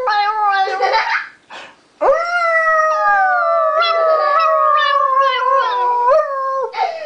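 A toy poodle howls in long, wavering tones, a brief yip interrupting before a sustained sliding howl.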